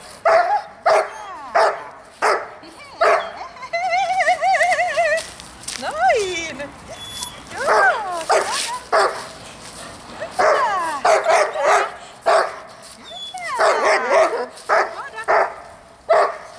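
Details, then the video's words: Dog barking during a young dog's first distraction training with a barking dog at a dog school. Sharp barks repeat roughly every half second to second, and a person talks and gives commands throughout. "haukkuvan koiran häiriötreeni"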